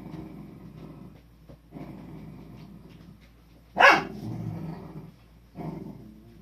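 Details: Sleeping Cardigan Welsh corgi puppies, the litter of a dog named Nabe, filmed on 1 March 2020: low, rumbling grunts come in soft bursts, then one sharp, short yelp-like cry, followed by more muffled grumbling.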